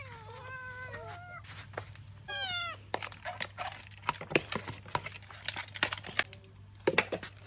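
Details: Cat eating pork rice: two wavering, high harmonic meows in the first three seconds, then a dense series of wet clicks and chewing sounds over a steady low electrical hum.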